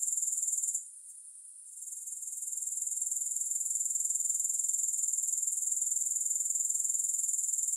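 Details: High, continuous grasshopper buzzing without music, pulsing around four times per second; it drops away for about a second near the start, then gradually returns to full strength.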